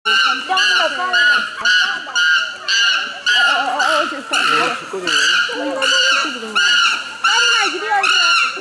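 An excited chimpanzee gives loud, shrill, ringing screams in rapid bursts, about two each second.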